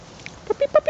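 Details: Northern Inuit puppy with its mother Tiva during play: a quick run of four short, tonal whimpering yelps, each rising slightly then falling.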